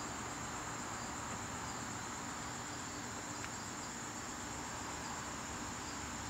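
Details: Garden crickets on a September evening, a steady unbroken high-pitched trill running through the whole stretch over soft background hiss, with no other clear sounds.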